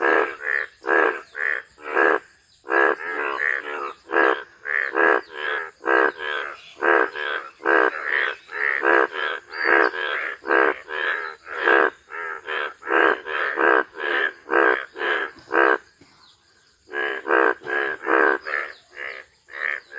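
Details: Frogs croaking in a rapid, steady series of short pulsed rattling notes, about two or three each second, almost unbroken apart from a brief pause near the sixteenth second, over a faint, constant high-pitched hum.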